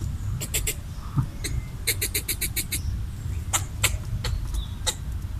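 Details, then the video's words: Chattering red squirrel, territorial, trying to drive off a human while feeding on coconut pieces: a quick series of five or six sharp chucks, then single spaced clicks, against low rumbling noise. "Red squirrel chattering while eating coconut bits / Ardilla roja parloteando mientras come coco"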